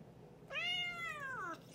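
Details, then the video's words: Domestic cat Boots talking with a bright, arched meow about one second long, climbing briefly then bending down at the close, loud and full of overtones in a quiet room. "Boots talking"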